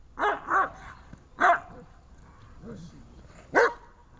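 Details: Dobermann in protection training giving a quick double bark, then a single bark, then some softer low grumbling sounds, and a final sharp bark near the end.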